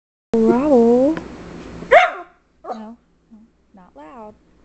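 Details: A female Schipperke sings in wavering, yodel-like howls while her owner coaxes her to "sing pretty".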